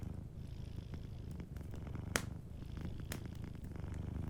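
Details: A cat purrs in its sleep beside a cozy fire, a continuous deep, throbbing rumble, broken by two bright crackling pops from the fireplace.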